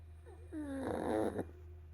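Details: A sleeping pug snores indoors. A short nasal whistle slides downward, then a louder, buzzy, rasping breath swells and stops abruptly, over a steady low hum.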